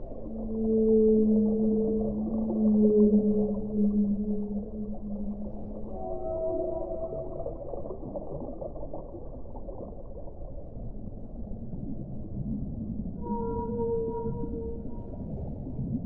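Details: Long, low whale moans sliding slowly across several pitches, with higher wavering tones joining later, all set against a constant deep underwater hiss.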